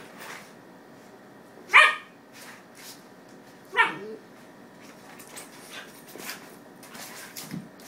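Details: A ten-month-old Miniature Schnauzer or two-month-old Standard Schnauzer gives two sharp, bright barks about two seconds apart while the pair play.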